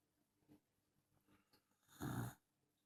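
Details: Dachshund snoring loudly: faint, scattered breathing noises, then one short, rough, rattling snore burst lasting about a third of a second near the end.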